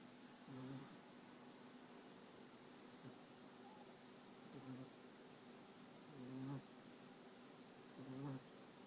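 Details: Snoring from France, a sleeping American Staffordshire Terrier puppy in Rostov-on-Don: soft rasping nasal snores recurring at irregular intervals of one to two seconds, the last two louder and buzzier, with a quiet indoor hush between breaths.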